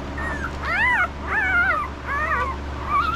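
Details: Five-day-old puppies whimpering while being handled, a rapid series of squeaky, arching whines rising then falling, about four in three seconds, with a low steady hum beneath.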